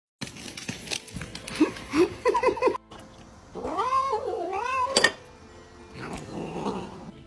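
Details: House cat calling for food at dinner time, something that happens every day: several short wavering meows, then a long, rising-and-falling wailing yowl, ending in softer murmured calls, with faint music behind.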